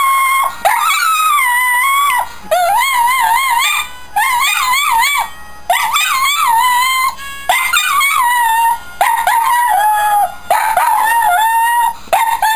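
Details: A male Shetland Sheepdog howls along to the Coronation Street credits music in long, wavering, tuneful notes with brief pauses between.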